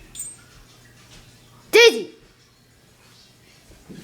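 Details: Dog during a fight indoors, giving a single sharp, loud bark with an arched, harmonic shape, otherwise near silence with a faint low hum in a small room.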